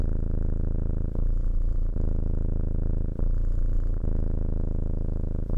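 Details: Domestic cat purring steadily, a loud low rumbling buzz with rhythmic pulses, breaking briefly for breaths about every one to two seconds, all energy deep and no other sounds.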